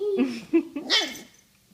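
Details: New puppy giving short wavering whimpers and growly murmurs for about a second, then a brief higher squeak before quieting, with a person's voice nearby.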